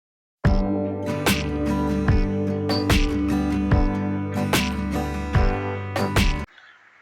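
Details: Plucked acoustic guitar music plays steadily for about six seconds, then stops and leaves faint low noise; no animal voice can be heard.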